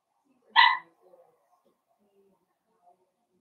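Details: Blenheim Cavalier King Charles Spaniel puppies at play with their mother in a home puppy pen; one sharp, bright, high yip rings out briefly, followed by faint rustling and shuffling in a quiet room.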